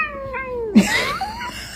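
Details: A cat indoors gives a clear, tonal meow that slides downward for about three quarters of a second, then a brief noisy burst and a fainter rising mew, with a person's voice nearby.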